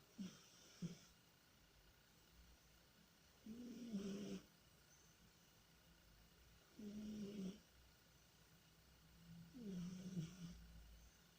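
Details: Domestic cat Tihon snores and snuffles while dreaming, with brief sniffs at the start, then three low buzzing snores roughly every three seconds, each about a second long, in a quiet room.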